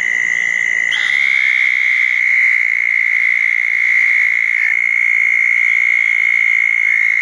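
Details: Wet June night after a thunderstorm, 2014: southern toads congregated at two small ponds, one holding a sustained shrill trill throughout, with a brief softer chirp at the start and another frog faintly behind.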